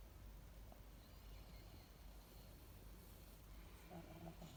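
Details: Monaka, a female indoor pug, sleeps soundly in her hiding place and snores: a soft, low, rough rumble of breathing continues steadily, with a few slightly louder snorting breaths near the end.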